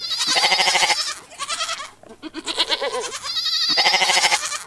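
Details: Repeated bleats of a domestic goat: a loud, strongly vibrating bleat opens, softer shaky bleats follow in the middle, then another loud, high quavering bleat closes the sequence.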